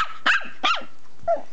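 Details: Ten-week-old imperial Shih Tzu puppy giving three short, high yapping barks spaced roughly half a second apart, the last one softer, while a person repeatedly tells it to go back.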